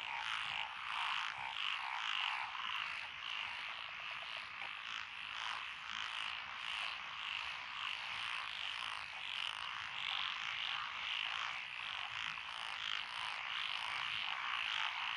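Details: Rice-paddy frogs among lotus in Echizen, Fukui Prefecture, recorded 12 June 2021: tree frogs, pond frogs and forest green tree frogs. Many voices give high, rattling croaks in overlapping bursts, a constant shimmering chorus throughout.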